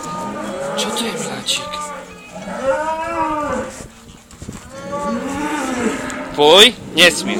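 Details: A cow filmed together with a Rhodesian Ridgeback gives a run of short, arching tonal moos, rising then falling, several in quick succession with brief gaps; a few sharp clicks and knocks near the end.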